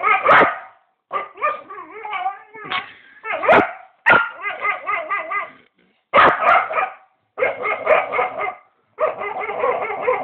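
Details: Pet dog making weird noises while going wild: sharp barks alternate with wavering, yodel-like howling bursts, each lasting about a second, separated by brief silences.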